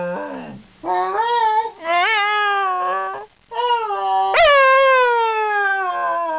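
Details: A Scottish Terrier "talks" and howls in a run of wavering, yodel-like notes, with one sharp rising yelp like a "hello" greeting; his hellos get closer each time.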